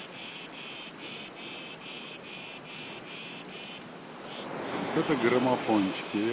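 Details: Cicada sitting out of sight near a beach pours out a piercing, pulsed buzz about twice a second; the song falters briefly, then resumes as a human voice speaks at the end.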